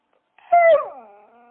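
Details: Dog letting out a single high, tonal whine that starts loud and slides downward, fading into a thin, lingering note; nothing else heard.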